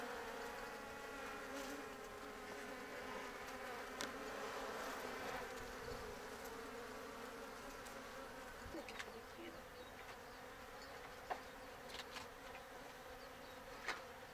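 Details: Steady droning hum from an open-air Japanese honey bee colony kept in a frameless box hive, preparing to swarm with several queen cells built; the continuous buzz holds for the whole stretch, dotted with faint scattered clicks and taps.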